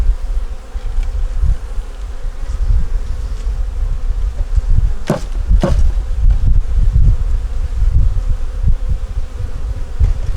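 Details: Honey bees in a nuc colony working to make it through winter, opened for inspection with a yellow queen, eggs and brood in the top; a steady low hum drones throughout, broken by two sharp knocks near the middle.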